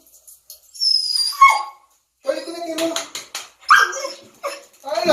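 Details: A Siberian Husky that dislikes baths gives a falling, whining howl and grumbling vocal protests at being told to take a bath after playing in the snow, with a person talking over it.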